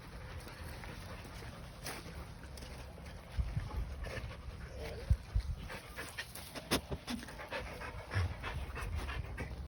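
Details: Dog at an animal shelter panting in short, uneven breaths, with scattered clicks and knocks over a low steady hum.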